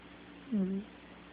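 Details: Sleeping kitty snoring indoors: one low, hummed snore lasting about a third of a second, sliding slightly down and then holding steady, with quiet room noise around it.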